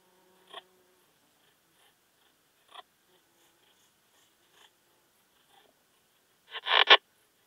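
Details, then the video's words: Slender bright bush-cricket at Hajnzgraben, Austria, 19 August 2021, giving a few faint isolated ticks, then one loud crescendo rasp near the end. "Poecilimon gracilis -- Zierliche Buntschrecke -- Slender Bright Bush-cricket"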